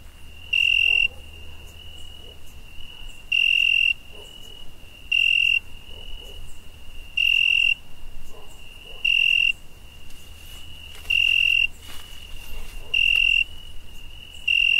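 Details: A cricket at night gives a steady high-pitched trill broken by louder, buzzy chirp bursts about every two seconds.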